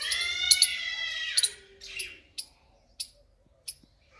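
A squirrel gives a shrill, drawn-out scream that slides downward, then sharp scattered chips.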